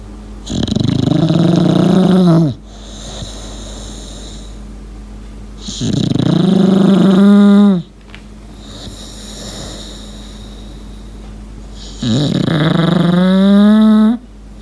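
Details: An English Bulldog named Lincoln asleep indoors, whistling with each breath: three long, buzzy, slightly rising whistles of about two seconds, repeated roughly every five to six seconds, with quiet room hiss between.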